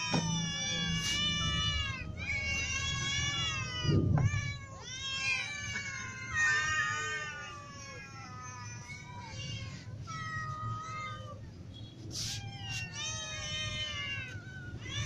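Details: Ginger cat, little cats and adult cats meowing out of hunger; rapid overlapping meows, many short high kitten cries and some longer wavering adult calls, a brief low thump and steady hum underneath.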